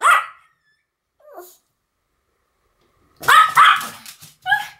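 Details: Duet barking by the Pomeranians Sam and Marin. One shrill yap is followed by a faint short sound and a long pause, then a quick cluster of three or four overlapping barks.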